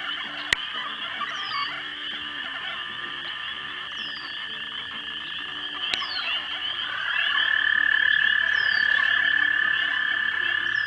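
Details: Frogs at a pond around dusk in March 2011, mating: a dense, continuous trilling chorus in two steady bands, with a louder sustained tone joining after seven seconds and a few thin descending whistles above; two sharp clicks.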